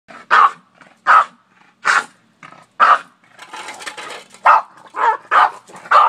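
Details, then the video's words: Boston Terrier barking at a shovel, as he does every day: sharp barks about every second, loud and punchy, with a short scuffling gap midway. "The Barking Boston!"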